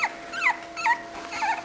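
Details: Short, high whimpers from an 18-day-old puppy, three quick squeaky notes that bend downward, in a small room indoors, with faint talking nearby.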